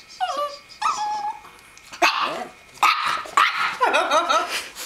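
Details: Indoors, Buddy tries to protect Bella from a cat picture she does not like: two falling whines open, then a string of four harsh, excited barks roughly every second, with a person talking nearby.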